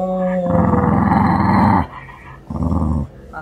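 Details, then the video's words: Pet puppy Mandoo fusses for sympathy, apparently with an upset stomach and off his food. A brief tonal whine opens, then a long, pulsing, throaty grumble and a second shorter grumble. A person speaks soothingly. "귀여운 강아지개엄살 탑클래스"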